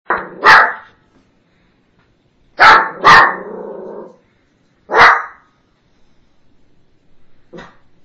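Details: Shih Tzu puppy barking aggressively in response to noises outside: loud, harsh barks, mostly in close pairs, separated by quiet gaps, ending with a fainter single bark, with no other clear sounds.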